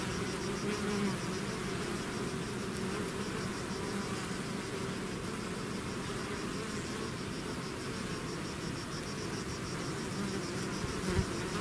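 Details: Many bees swarming out of their hive make a continuous droning hum, thick and even in loudness, with a brief sharper click near the end.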